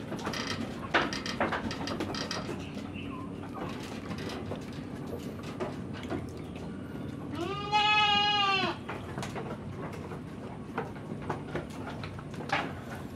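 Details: A goat on a backyard farm gives one loud, wavering bleat lasting about a second midway, surrounded by clattering, knocking and scattered farmyard noise.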